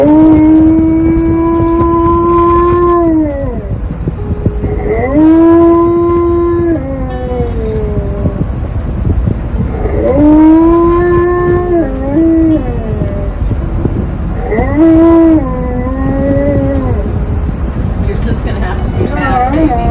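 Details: Alaskan Malamute named Tonka voicing loud protest at wearing a seatbelt during a drive; four drawn-out moaning howls, each holding a level tone then bending downward, spaced several seconds apart against a steady rumble of the moving vehicle.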